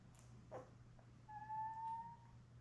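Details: Newborn Labrador Retriever puppies, a litter of seven born May 24, 2021, with their mother Belle on a live puppy cam indoors: one thin, steady whine lasting about a second, rising slightly, after a few soft rustles, over a low constant hum.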